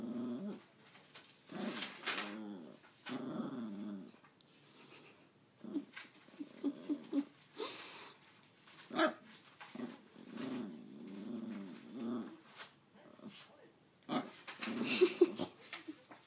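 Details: Nipsu, a pet dog attempting to tell its owner something, keeps up an indoor stream of low modulated growling mutters in short repeated phrases, with occasional sharper higher yips and brief quiet gaps between bursts.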